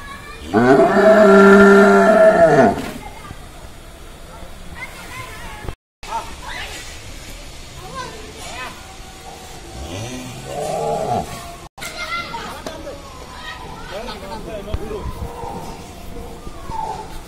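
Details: A massive, angry bull kept for Qurbani Eid at Sadeeq Agro in Bangladesh lets out one loud, long, rich harmonic bellow of about two seconds. People talk afterwards, and a lower groaning moo comes near ten seconds.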